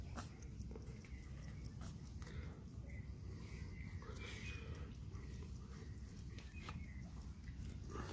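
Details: Hedgehog from a family living in a garden and fed there, eating chocolate yogurt and snorting with pleasure: short, breathy, broadband snorts and smacking bursts come at irregular intervals over a steady low rumble, with faint thin chirps in the background.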